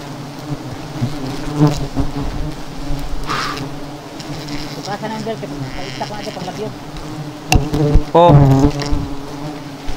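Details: Swarm of honey bees stirred up while seven hives are being taken down. A continuous low hum fills the clip. Scattered clatter is heard, and human voices break in near the end.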